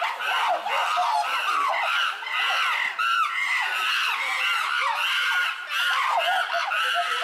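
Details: Tama Zoological Park chimpanzees in an uproar, filmed June 2022: a continuous, dense wall of overlapping screams and arched wailing calls from many voices, steady and loud throughout.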